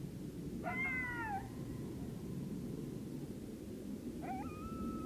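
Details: Coyotes on October 9, 2022 as the full moon rises: two howling notes, the first sliding down and fading, the second a short rising wail held level, over steady low rumbling background noise.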